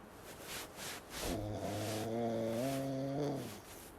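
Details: Sleeping Pekingese snoring: after a few soft breathy pulses, a steady low buzzing tone with rich overtones drones for about two seconds, stepping slightly higher near its end before fading out.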